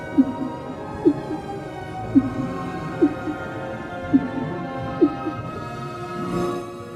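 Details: Humpback whale song, known for long, complex repeated vocalisations: short, low, upswept moaning units repeated about once a second over sustained background music.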